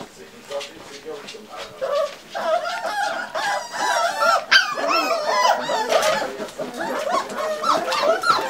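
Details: Five-week-old Pembroke Welsh Corgi puppies, hungry and demanding food, whine and yelp together in a continuous overlapping chorus of wavering, warbling squeals that swell louder midway, with a person speaking briefly.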